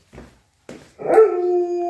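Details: Alaskan Malamute and Australian Shepherd puppy, vocal before going out: two short breathy yips, then a loud sustained howl holding a steady tone for nearly a second.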